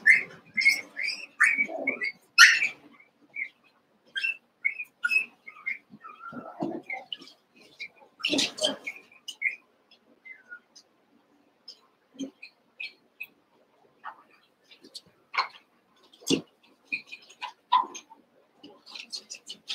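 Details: Eight Cavalier King Charles Spaniel puppies, Daisy's litter of six merged with Robin's two, at play together: a busy run of high, squeaky chirps and whines, short and scattered, with a few louder yelps in between.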